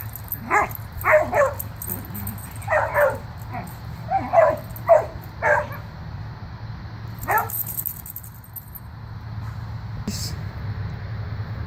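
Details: Boomer and Sophie, two pet dogs wrestling and running in play, let out a burst of quick barks in the first six seconds, one more bark near seven seconds, then quieter stretches with low rumbling background noise.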